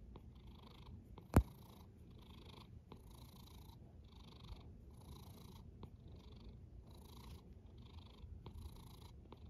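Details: A cat snoring softly, airy breath bursts coming about once a second above a low purring rumble, with one sharp click early on.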